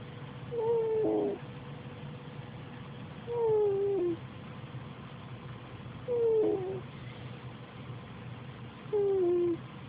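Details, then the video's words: Snoring kitty asleep, giving four whiny, falling whistle-like tones in a regular breathing rhythm, one roughly every three seconds, above a constant low hum. "Snoring kitty"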